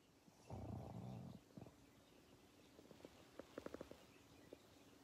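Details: Pangpang the pug asleep, recorded in 2021: a loud low rumbling snore lasting almost a second, then softer snuffles and a run of short clicking breaths near the end.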